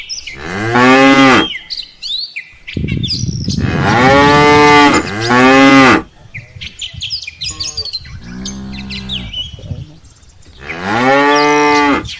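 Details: Herd of tame cattle, mothers and calves, heading back to the farm barn after grazing in rice fields; four long harmonic moos of varied pitch separated by short gaps, with chirping birds in the background.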